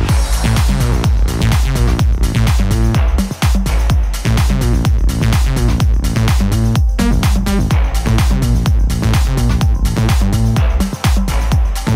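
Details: Loud, driving electronic dance music with a pounding beat runs throughout, and no animal sound can be picked out.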